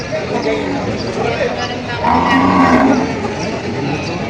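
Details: Cattle at a livestock market and auction in Padre Garcia, Batangas, on July 17, 2026, where breeding cows and heifers are sold; a low, drawn-out moo rises about halfway through, over crowd chatter and bargaining voices.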